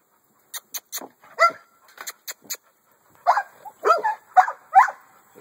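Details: Male American Bully at a kennel giving scattered barks: a few short, sharp ones, then a closer cluster of four louder, rougher barks near the end.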